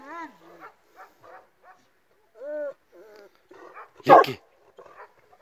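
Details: Illyrian Shepherd and Presa Canario mix dogs: high whines and short barks, then one loud harsh growling bark near the end.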